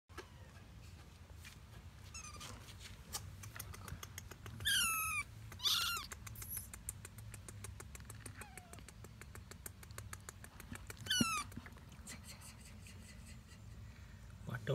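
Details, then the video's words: Kittens meowing, several high thin wavering cries rising and falling in quick bursts, some doubled, scattered across the recording over a steady ticking background and low hum. "Kittens meowing"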